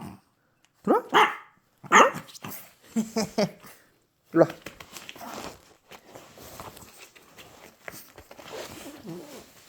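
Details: Maltese dog greeting its owner returning home from reserve military training, giving several short excited barks and yips in quick bursts early on, then quieter whines and rustling with faint voices.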